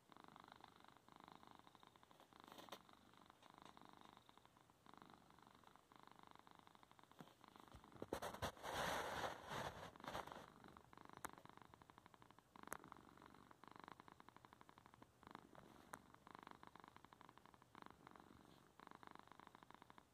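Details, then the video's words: Male domestic cat purring indoors while obstructing the keyboard as his owner works from home; a steady, rapid pulsed rumble continues throughout, interrupted by a louder rustling burst around the middle and a few sharp clicks. "Two minutes of our cat Garth purring while I'm trying to work"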